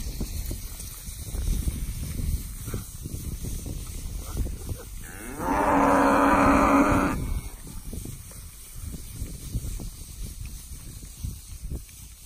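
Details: Among bred Brangus, Beefmaster, Charolais and crossbred cows and their calves, one cow gives a long, strong bellow lasting about two seconds, preceded by a fainter short call, against a steady low background rumble.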